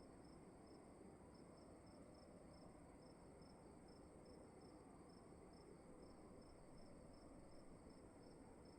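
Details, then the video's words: One cricket in a dark room at night repeats a short, high chirp at an even pace, about three per second, while a continuous low hum and hiss of room noise fills the background. "Sound of emptiness and crickets in the room"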